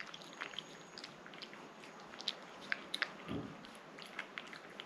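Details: Rangi, a house cat, eating a liquid snack with sticky licking and smacking clicks in quick clusters, a couple of louder wet pops midway, and a brief low thump near the end.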